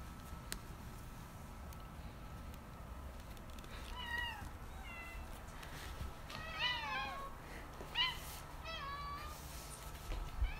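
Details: Two indoor cats, white spayed female Nyang and orange neutered male Kong, both eight years old, reacting to a delivered package they rub to scent-mark; a run of short rising-falling meows, some doubled, with quiet room noise.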